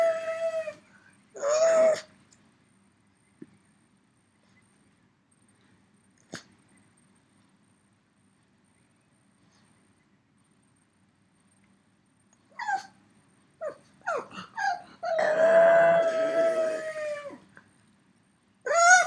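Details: Left behind at home, three-year-old pug Yoda calls for his friend out on a run: wavering whines, a silent stretch, then clustered short yelps leading into a long, loud, howl-like moan.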